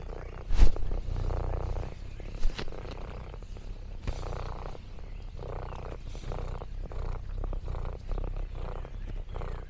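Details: Purring from Lexi, an orange tabby cat out on a farm in the countryside: a steady, low, contented rumble in breath-paced pulses, with a couple of sharp clicks or knocks near the start.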